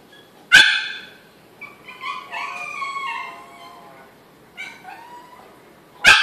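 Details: Yorkshire Terrier Diesel, a pet in Maryland, stuck behind a baby gate and frantic to reach his Pitbull sister Jazmin: a sharp bark opens, then high wavering whines and yelps, a short whimper, and another sharp bark at the end.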